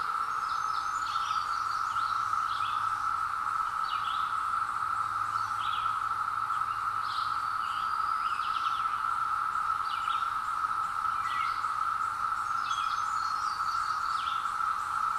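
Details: Woods full of periodical cicadas out after 17 years, taken from a hill with a Zoom H2: a continuous wave-like droning buzz at one steady pitch, overlaid by repeated short bird chirps and whistles throughout.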